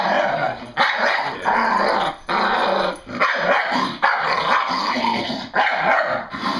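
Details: English Bull Terrier, female, excited and having fun at home, gives rough, raspy growl-barks in bursts of about a second, separated by brief pauses, roughly seventy a minute, with no other sounds clear.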